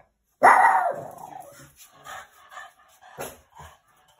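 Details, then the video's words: Boston Terrier on night watch indoors, barking at his own shadow in the window or at something moving outside the house; one loud sharp bark that trails off, followed by several softer short huffs and grumbles. "Boston Terriers - Night Watch Went Wrong Series"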